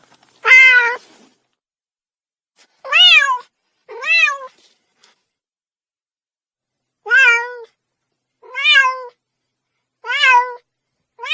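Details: Young cat giving repeated high mews, each short call rising then falling in pitch, delivered in irregular bursts with quiet gaps between them and no other sounds present.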